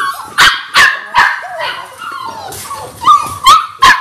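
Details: Six-week-old Labrador Retriever puppies from a litter of six: quick high yappy barks repeated about every third of a second, with a whiny squeal between them and a faint human voice.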